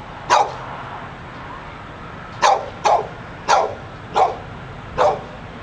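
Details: A dog in front of a bookstore in Pleasant Hill, California, that would not be quiet, giving six sharp, loud barks, one early and then five spaced about half a second to a second apart, over steady low background hum.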